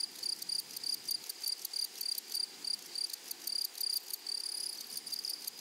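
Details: Grasshoppers in a flowery meadow or prairie, stridulating in bright, high-pitched buzzy pulses with a ringing overtone. The bursts repeat about twice per second in an uneven rhythm, over a faint soft background hiss.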